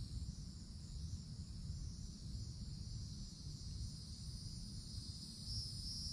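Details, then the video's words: Summer woodland canopy with cicadas: an unbroken, shrill, high buzz runs throughout and swells slightly near the end, set against strong low-pitched background rumble. "Forest Canopy in the Summertime With Cicadas Sounds"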